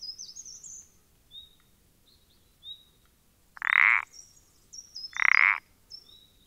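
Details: Pelodytes punctatus, the common parsley frog, on 14 April 2020, giving two short grating pulsed croaks roughly 1.5 seconds apart. High twittering and thin whistles sound faintly behind.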